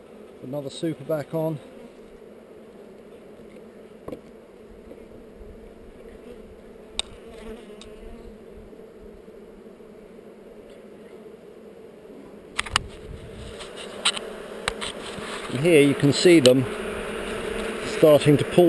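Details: Honey bee hive among heather, inspected and filmed on a GoPro: a low humming buzz that swells louder and busier toward the end, with a few sharp knocks partway through.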